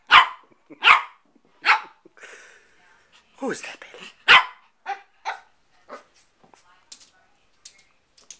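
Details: Four-month-old Shih Tzu Bailey, a male puppy playing with his reflection, gives a run of shrill yapping barks, several in the first two seconds and more later, mixed with human speech and quieter yips.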